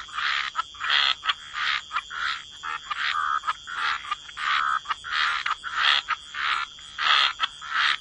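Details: Wetland frogs by the waterside in a croaking chorus: harsh, buzzy croaks pulse in quick succession, roughly one and a half per second, over a constant high-pitched whine in the background.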